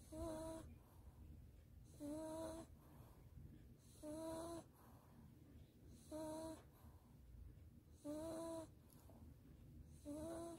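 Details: Sleeping Maltese Dubu, snoring while held in its owner's arms after bathing and drying, Daechi-dong: six steady, whistle-like snores, one roughly every two seconds, with soft breathy noise between them.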